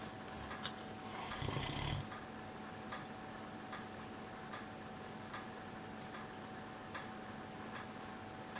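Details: Sleeping on his bed in May 2013, the dog Piran lets out a deep rumbling snore around the second mark, then quiet breathing while a clock ticks steadily and a faint hum persists indoors.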